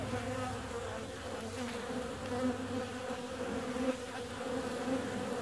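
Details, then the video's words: Out on a warm February day, bees produce a smooth, unbroken buzz with a low hum beneath it, the pitch wobbling faintly as they fly nearby. "Bee's out on a warm February day."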